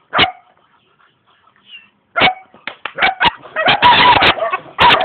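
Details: A single bark from a young German Shepherd dog in Jamaica, then near silence, then a burst of rapid overlapping barks and noisy sound, closing with another strong bark.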